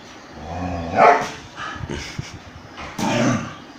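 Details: Dogs fighting, an Indian breed attacking a German Shepherd: a low harmonic growl swells into a loud snarling bark near one second, scuffling follows, then another growling bark, over steady background noise.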